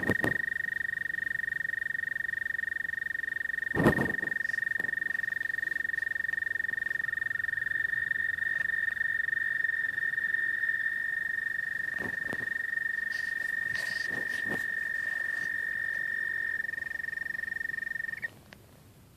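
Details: An American toad gives its mating call, a long, steady, high musical trill holding one pitch for nearly twenty seconds.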